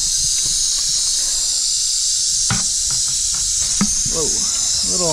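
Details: A small, feisty tiger rattlesnake being released into a desert rock pile on a humid day after monsoon rain gives a steady, high, hissing rattle buzz, with a man's voice near the end.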